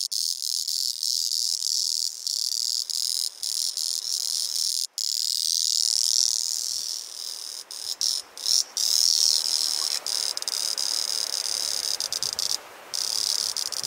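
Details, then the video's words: Auritibicen bihamatus, the singing cicada of Kunashir Island in the Kurils, male calling: loud sustained high metallic whirring with brief interruptions, swelling in intensity midway and toward the end. "Цикада певчая на Курилах: самая громкая песня-стрекотание"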